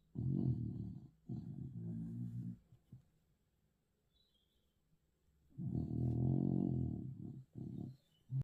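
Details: Snoring dog giving a run of low, throaty, rattling breaths: two snores close together, a long silent gap, then a loud drawn-out rumble of about one and a half seconds followed by shorter snorts.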